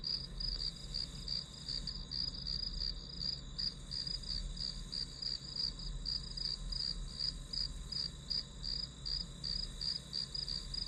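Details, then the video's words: Grass insects chirping as calming background for studying: a high, steady pulsed trill repeated about three times per second, with a faint continuous higher hiss above and low hum beneath. "풀벌레 소리"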